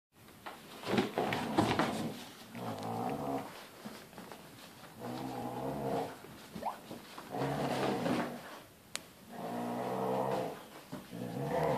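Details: Husky growling while playing tug of war indoors, a father and son pair; rough harmonic growls come in bursts of one to two seconds, separated by shuffling and small knocks in a small room.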